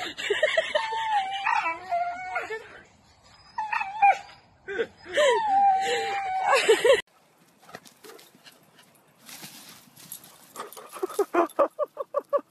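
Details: Dogs playing and fooling around give wavering, whiny yelps that slide up and down for several seconds, then a run of short sharp yips near the end, with people talking in the background.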